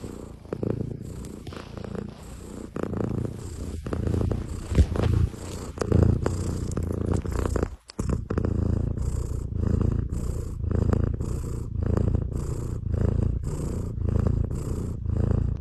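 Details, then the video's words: A domestic cat snoring: low, rough rumbling breaths repeating about once a second in a steady pulsing rhythm, with a brief silent break midway. "Котейский храп"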